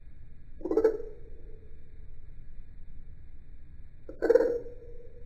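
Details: Eastern dwarf tree frog, a male, calling at night in a backyard, showing different techniques for different calls; two short nasal croaks about three and a half seconds apart, each a brief rasping burst, with a faint steady background hum.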